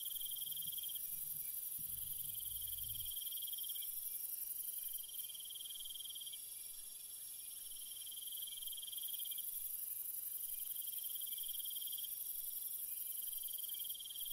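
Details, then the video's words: Crickets singing at night: a high pulsed trill that breaks into separate runs every few seconds over a constant shriller hiss, with a low rumbling sound in the first three seconds. "Cricket Sounds"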